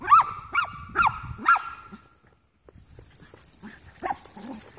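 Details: Young Jack Russell mixes, three playing together, open with four quick high yips in a row, each rising and falling, then a short hush before softer scuffles, thin squeaks and light yelps.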